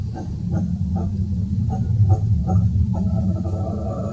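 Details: Howler monkey roaring in forest at São Paulo's Jardim Botânico on 19 July 2018: a powerful, very low rumbling roar broken into rhythmic grunting pulses roughly twice a second, swelling louder near the middle.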